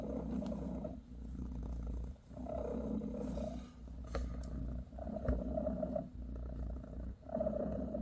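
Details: Mother cat Bassy, a British shorthair, gives her kittens a massage with a loud, even purr, a gravelly rumble repeating in regular breath-long waves, with a few small clicks and rustles.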